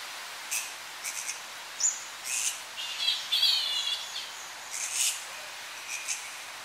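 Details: Tonga flying foxes, young bats squabbling in their colony at evening: brief, shrill squeaks and short screeching bursts spaced apart, plus a few wavering whistles, against a background hiss of slight wind in a tree.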